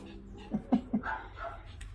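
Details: Shih Tzu dogs at play, a playful scuffle of fighting or roughhousing: three short low grunting growls near half a second apart, then softer voiced sounds, with a person talking in Filipino in the background.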